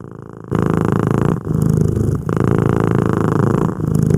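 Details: Female pet otter vocalizing while eating indoors, a soft, short tonal chirp held level for about a quarter second then trailing off, over faint room noise.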